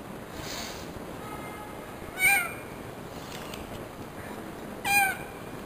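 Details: Female cat in labour, indoors, lets out two brief, tonal meows about three seconds apart, each short and slightly descending, with a constant faint high-pitched hum in the room.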